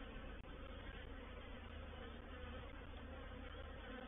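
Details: Massed wing hum from a reproductive honey bee swarm entering a swarm trap (bait hive) on 04/07/21: constant loud buzzing with a strong low drone and one brief click early on.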